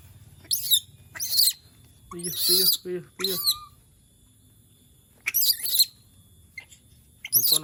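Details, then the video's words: Monkey vocalizing while missing humans: sharp, high screeches in separate bursts, a few harsher lower yelps mixed in, with long quiet gaps and nearby human voices. "the sound of monkeys when they miss humans/suara monyet ketika lagi kangen manusia"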